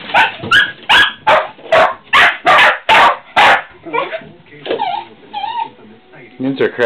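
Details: Dogs kept as pets bark at squirrels in a fast, steady volley of about ten barks, then switch to wavering high whines and yelps; a human voice calls to them.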